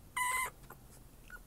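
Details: Eight-week-old Maltipoo puppy, cranky after having her cast removed, waiting in a parking lot outside a pet hospital; a brief high whimper lasting under half a second, followed by quiet rustling and faint outdoor background.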